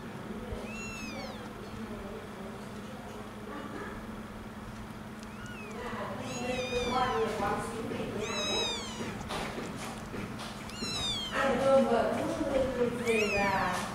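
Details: One-week-old kittens searching for their mother's milk give thin, high, rapid mewing cries in short bursts, growing more frequent and overlapping toward the end, over a steady low hum and background noise.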